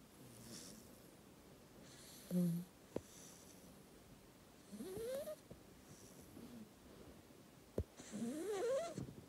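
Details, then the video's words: Dufy, an 8-week-old black Labrador retriever puppy, snoring loudly while asleep: soft breathy snores roughly every three seconds, with a whistling, rising squeak on several breaths and low hiss in between. "Snoring really loud: 8 Weeks old Cute Black Labrador Puppy Sleep"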